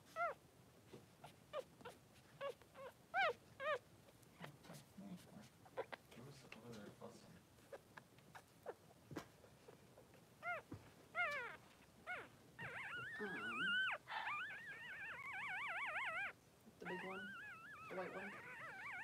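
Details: Two newborn Blenheim Cavalier King Charles Spaniel boys, three days old, in the puppy pen beside their mother Pom-Pom. Scattered short high squeaks lead into long, warbling whines that waver up and down in pitch. Faint low murmurs sit underneath.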